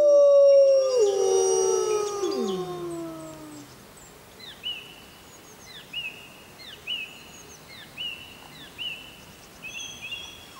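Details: Wild grey wolves howling at full moon in the jungle: several smooth, sliding howls fall together in the first four seconds and fade out, followed by a series of short, high, repeated chirps from another animal every second or so.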